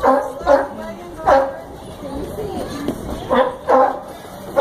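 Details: Sea lion at the Brookfield Zoo in Chicago barking: short, loud, harsh barks in a quick pair near the start and another pair near the end, with visitors' voices and chatter filling the gaps.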